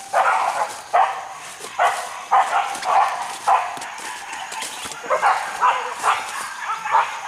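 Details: Hunting dogs chasing wild boar in a forest, giving loud, rough barks in quick bursts, about ten in seven seconds, some closely doubled, with a faint steady high tone in the background.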